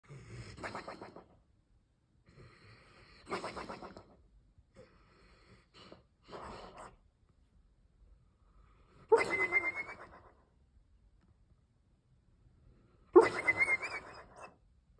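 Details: A dreaming Weimaraner in Opole, Poland, on June 6, 2023, snores in slow, breathy rasps, some ending in a thin, high whistle.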